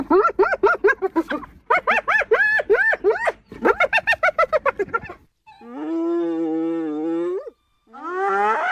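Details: Hyena vocalising in a run of quick, laugh-like arched notes in several bursts, followed by a long, steady, level moaning tone held for about two seconds, then the start of another rising call.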